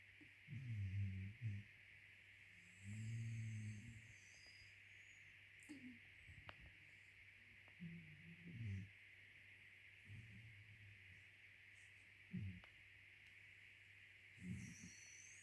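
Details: Two sleeping Cairn Terriers snoring, with low rumbling breaths, some long and some short, recurring irregularly every few seconds over a constant background hum.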